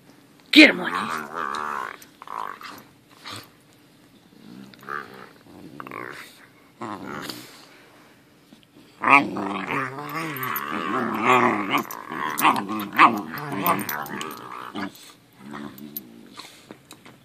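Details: Dog growling while playing with his little brother, too tired to leave a chair. Wavering, harmonic growls come in bursts, with longer stretches in the second half, mixed with people talking and laughing.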